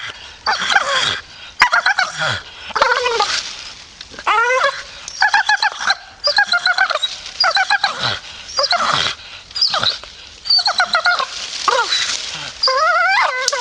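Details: A grumpy Staffy grumbles in irregular bursts about once a second: whiny, wavering moans, some sliding down, mixed with stuttering pulses.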